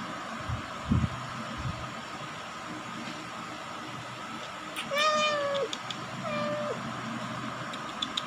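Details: Indonesian village kittens, black-and-white and white, one of four littermates born in a house attic, recorded at 20 days old: two short meows mid-recording, one bending downward, one flat, over a steady hum and scattered background knocks.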